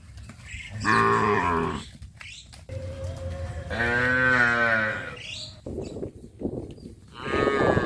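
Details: Traditional village cattle heading each morning to green grass pasture: three separate drawn-out moos spaced a few seconds apart, the middle one the longest and most even, with a low background rumble between calls.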